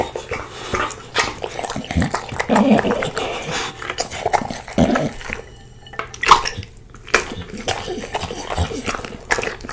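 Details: Slobbery Bulldog eating a big plate of spaghetti, his favorite food, outdoors at breakfast; wet slurping, snorting and chewing bursts come in irregular clusters, with messy smacking between them.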